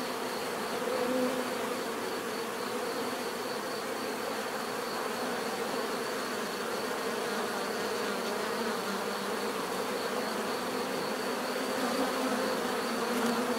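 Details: Steady drone of many bees, constant overlapping buzzing with occasional individual insects passing closer, and a faint high whine in the background.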